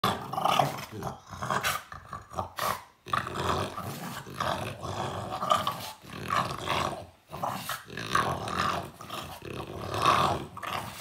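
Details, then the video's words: French Bulldog play fighting indoors in a small room: rough, continuous growling with snorts and bursts of noisy scuffling, swelling and fading in uneven waves over eleven seconds. "We fight first, then we hug | French Bulldog"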